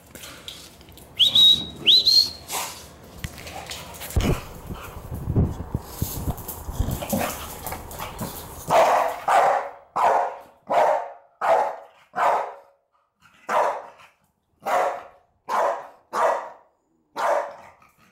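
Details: Rocky, an 11-month-old Staffordshire Bull Terrier weighing around 28 kilos, barks when a cinnamon container is opened. Mixed rustling and a few thin squeaky whines come first, then loud, sharp barks repeat roughly every second in a steady run.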